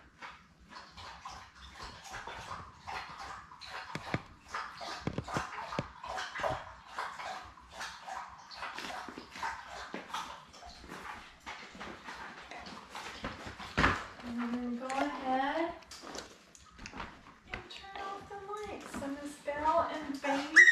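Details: Newborn Labrador Retriever puppies, born May 24, 2021, with their mother Belle in a litter of seven; soft squeaks and rustling give way to repeated rising-falling whimpers and whines near the end.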